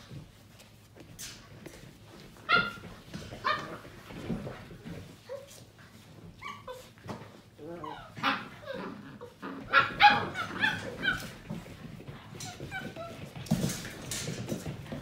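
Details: Playful litter of seven-week-old Portuguese Water Dog puppies: scattered short yips, squeaky barks and whines tumbling over one another, with a human voice and rustling scuffles in the background.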